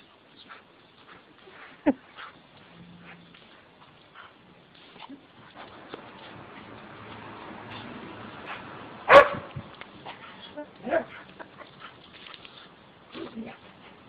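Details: Dog in a funny compilation of water-cannon catching, giving a single sharp loud bark midway, with scattered short yips and whimpers before and after over a steady background hiss and occasional human voices.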